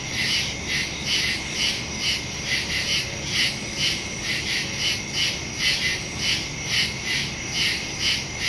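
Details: Nighttime woodland crickets, recorded September 2, 2023 using a Samsung Galaxy S22 Ultra phone and Shure MV88+ stereo microphone; bright, high trilled chirps repeat rapidly, roughly twice per second, forming an even pulsing chorus.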